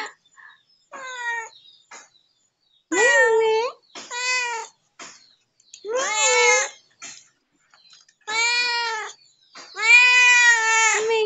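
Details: A neighbour's domestic cat gives repeated meows. Some are short and faint, others long, loud and bending in pitch, rising then falling, spaced a second or two apart.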